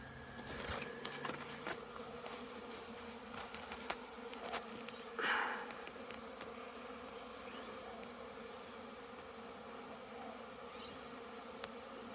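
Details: Honey bees on orientation flights outside a very busy hive after rain, recorded 22 September 2022; a steady soft insect hum with a brief louder buzz as a bee passes close midway, and faint clicks.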